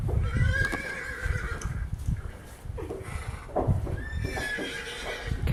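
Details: Horses reacting to a horse ringtone alarm sound: two drawn-out whinnies with wavering, shaky tone, one early and one near the end, over steady low rumbling and thudding noise.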